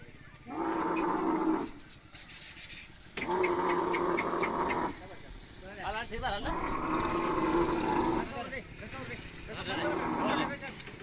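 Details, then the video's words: Camel crying loudly: drawn-out, moaning groans with a steady droning tone, each lasting one to two seconds, coming in four bursts with quieter gaps between them and faint chirpy sounds near the middle. "Camel making funny Noise | Camel Noise | Camel sound | Camel Crying loudly"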